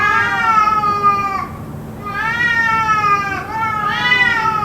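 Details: Continuous cat yowling from a suspected fight that lasted about two hours: long sustained harmonic wails that dip briefly and resume, nearly unbroken, over a low steady hum.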